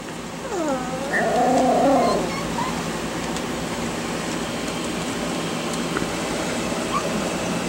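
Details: Young Miniature Schnauzer puppies aged five and seven weeks exploring outdoors give a wavering, harmonic whimper that dips and rises for about a second, followed by steady background hiss.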